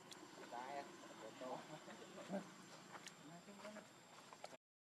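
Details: Baby monkey Leo, hungry and begging its mother for milk, gives short harmonic cries that rise and fall, several in quick succession, over a hiss of outdoor background noise with faint clicks.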